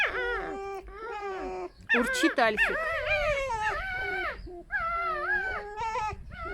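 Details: Rescued pet foxes from a fur farm, sharing a den at home, give a harmless squeaky song: wavering, warbling whines that bend up and down, with a burst of sharper rapid squeaks in the middle.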